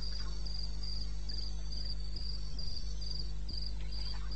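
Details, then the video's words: Crickets calling in the wilderness of eastern Botswana at 02:30 on 21 May 2016: a high, thin chirping pulse repeated about four times a second over a steady low hum, with faint rustles. "1 Hour cricket sound"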